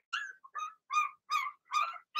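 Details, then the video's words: Young Blenheim Cavalier King Charles Spaniel puppy in a home puppy pen, one of six littermates: five short, high-pitched yips, one roughly every 0.4 seconds, with nothing else audible. "Cavalier Puppies Bark, Howl"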